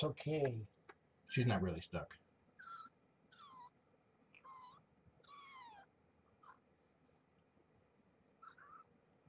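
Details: Morning feeding of Marge, a rescued former stray mother cat, and her young kittens, which are walking and starting to play, at Purrfect Pals. After a burst of human talk come about five high, downward-sliding kitten-like mews spaced roughly a second apart, then two fainter ones.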